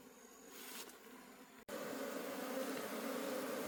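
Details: Forest-dwelling wild honey bee colony during honey harvesting. A rising swarm drone, a momentary dropout near the middle, then a louder, steady, low humming buzz.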